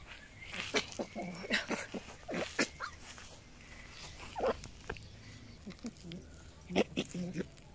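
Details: Fennec fox; angry call; showing annoyance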